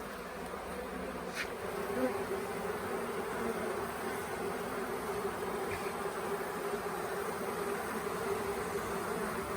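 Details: Late-season honey bee swarm that had settled on the grounds of the Tamarind Tree Hotel for a few days; dense, unbroken buzzing of many bees fills the whole stretch at an even level.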